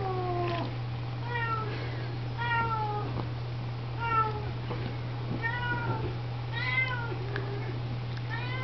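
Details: Siamese cat giving high, thin meows, each arched and falling, repeated roughly every second over a steady low hum, as the cats clean and feed kittens.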